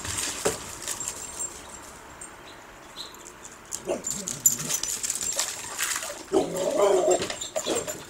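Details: Dog on squirrel patrol, chasing a squirrel: soft, faint whimpering builds late into a brief strained whine, over steady high-pitched hiss and scattered rustling.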